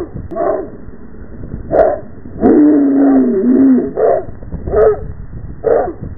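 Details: A Rottweiler running back and forth and spinning in circles in a yard with several dogs gives deep, spaced barks, with one drawn-out, wavering whine-like bark near the middle.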